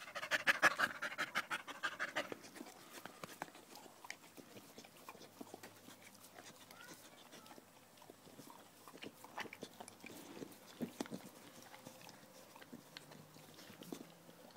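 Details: Loud, fast panting from Danco, a dog pressed against someone's leg on 5 August 2013, strongest at first and then softer, roughly three breaths a second.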